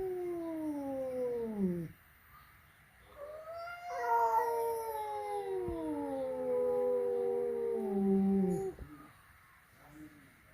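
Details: Flat-nosed cat meeting a peak-nosed cat for the first time at home, producing three long, wailing, falling yowls, each lasting roughly two to five seconds, separated by short pauses with faint background hiss.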